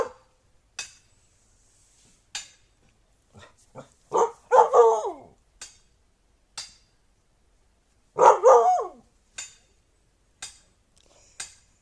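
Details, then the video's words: Siberian husky making noises indoors: two drawn-out, wavering, talkative yowls with rising and falling pitch, separated by short clicks and taps. "husky making noises"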